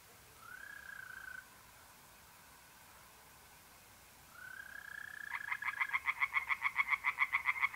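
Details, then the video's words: Tree frog singing in a pond on an April night in north-east Italy. Two smooth, steady, slightly rising mole cricket tones come first, then rapid harsh frog pulses start and repeat quickly to the end. "singing tree frogs in pond"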